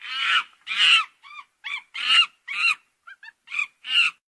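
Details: Monkey. Harsh, raspy monkey calls tumble out in quick bursts, some drawn-out and grating, others clipped and squeaky. The cries come irregularly, about two per second, with nothing else audible around them.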